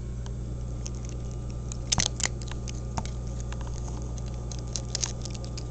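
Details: Cat named 29 eating: scattered sharp crunches, a strong cluster around two seconds and lighter clicks after, set against a continuous deep background drone.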